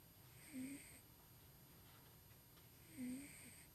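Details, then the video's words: Tuxie, a pet cat, snoring while asleep and dreaming indoors at home; two soft droning snores about two and a half seconds apart, with a faint hiss above, over a quiet room hum. "Somebody is dreaming & snoring!!"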